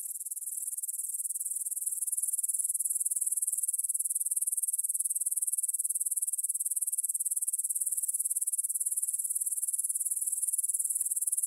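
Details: Grasshoppers stridulating in a meadow near the Svensky monastery in Bryansk, Russia, at 9pm on 6 September 2020, taken on a Tascam DR-44WL: a dense, high, hissing chirr that swells in the first seconds, then holds steady with fast pulsing throughout.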